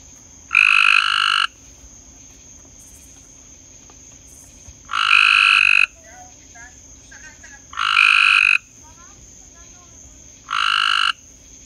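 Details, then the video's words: Frog calling at night: four loud, harsh, buzzy croaks, each about a second long, spaced irregularly a few seconds apart, with faint chirps between them and a steady high hiss in the background. "Frog at night"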